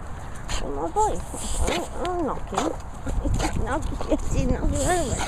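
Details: Two French Bulldogs, Reggie and Ronnie, give a run of whiny, arched yelps. The yelps rise and fall in pitch and come in short bursts about every half second, with a person's voice talking over them.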